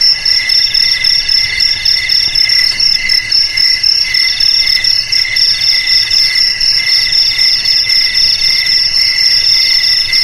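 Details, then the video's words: Steady cricket chorus: overlapping shrill trills on a few separate pitches, quick regular pulses running nonstop, no other animals, only a soft low background hum. "Suara JANGKRIK Pengusir TIKUS"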